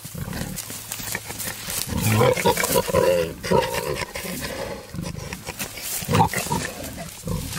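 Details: Wild boar, a male courting a female in the wild, giving rough low grunts with harsh squealing bursts around two to three seconds and again near six seconds, amid rustling and a steady low hum.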